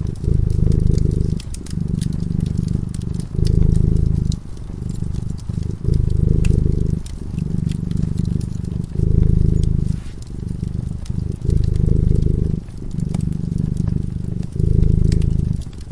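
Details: Sleeping cat beside a fireplace giving a continuous low purr, pulsing in repeated inhale and exhale phases about every second, with sharp intermittent crackling from burning wood.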